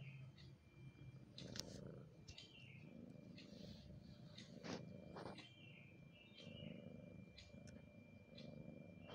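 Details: Continuous low, throbbing purr from a mother cat weary of looking after her kitten, swelling and fading over nine seconds, with scattered high clicks and faint chirps behind it.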